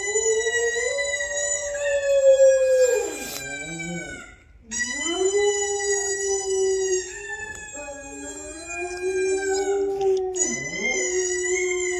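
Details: Domestic dog howling in reply to playback of her own earlier howls indoors: sustained, slightly wavering howls that dip sharply at their ends, two voices overlapping, with a brief pause midway.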